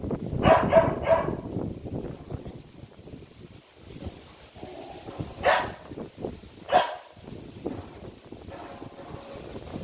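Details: A Saint Bernard puppy, barking after seeing a monkey, gives a quick run of three barks, then single barks spaced a few seconds apart.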